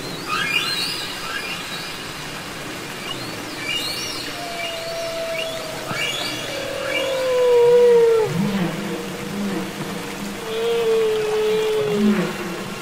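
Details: Underwater song of humpback whales from Capitol Records ST-620: drawn-out descending tonal wails, some ending in bright sliding notes, with low arched grunts beneath and scattered high chirps and sweeps against constant sea hiss.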